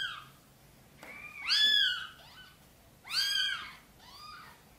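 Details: Mother domestic cat calling for help to carry her tiny kittens into the nest, giving two loud drawn-out arched meows, each followed by a quieter shorter meow, in a small quiet room.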